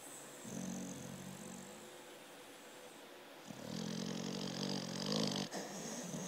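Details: A sleeping Amstaff named Dozer snoring heavily in deep sleep; a low droning inhale, then a longer, louder, breathier snore with a wider rasp, indoors and otherwise quiet.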